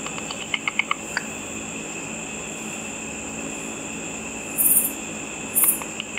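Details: Bats hunting insects over a pool in the dark, made audible with a simple ultrasonic frequency divider detector: a quick burst of dry clicks in the first second, then scattered ticks over a steady high electronic whine and hiss.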